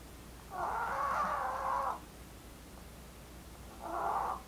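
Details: Female Maltese Blue asleep and snoring, a pet dog born August 2018. A long rasping snore of about a second and a half, then a shorter, softer one two seconds later, against low steady background hiss.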